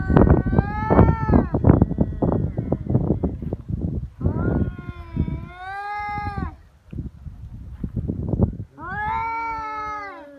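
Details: Free-roaming feral cats squaring off on Japan's Cat Day, 22 February, the threats escalating to biting and paw swipes: rapid rumbling growls and rough bursts, then two wavering, rising-and-falling caterwauls.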